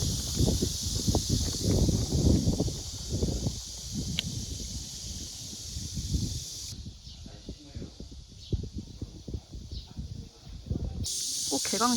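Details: Summer cicadas at a walled village in Suncheon, South Korea, make a loud, unbroken, high-pitched hissing shrill that drops out for a few seconds, then returns, over low gusting wind and some rustling.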